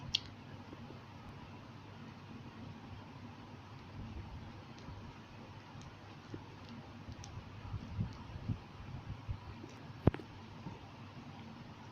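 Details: Low room hum with scattered clicks, soft rustles and one sharp tap.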